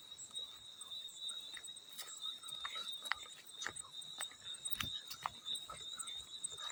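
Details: Field cricket's high, steady trill persists beneath a busy scatter of clicking water drips and splashes that come irregularly, roughly every half second.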